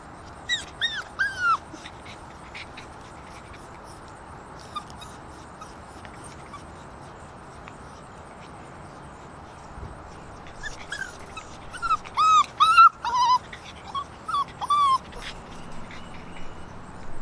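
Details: Six-week-old Alaskan Malamute puppies of Rhema and Cole, with their father Cole, on September 3, 2019. High, whining yelps with bright harmonics come in quick bursts early on and again from about eleven to fifteen seconds, with quiet between.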